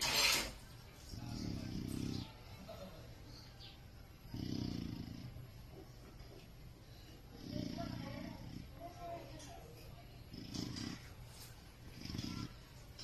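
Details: Snoring from Jacko the Chow Chow while he sleeps: a steady series of gravelly, rumbling breaths roughly every three seconds, five in all, with a sharp tap at the start and quiet room noise between them.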